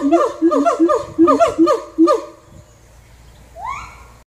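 A siamang gives rapid, barking hoots in a quick series, ending in a rising whoop.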